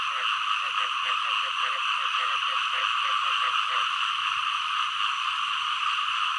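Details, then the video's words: Frogs, including green frogs, give quick, throaty croaking pulses, about three or four a second, over a steady insect drone. "เสียงกบ เขียด frog sound 2"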